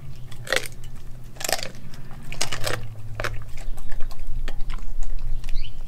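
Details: Raw meat meal for Nala, a Kelpie German Shepherd cross dog: loud, sharp crunches in bursts, as of biting chicken feet or bone, between quieter wet chewing, with a low constant room hum beneath.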